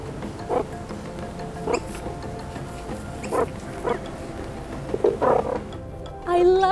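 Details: Female zoo meerkats at Australia Zoo chatter with short, soft chirping calls repeating about once a second, ending in a higher squeak, while keepers prompt them to make their sound.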